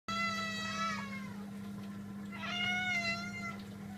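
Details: Cat meowing indoors: two drawn-out, harmonic meows, the first steady then dropping, the second rising into a long wavering cry, over a constant low electrical hum.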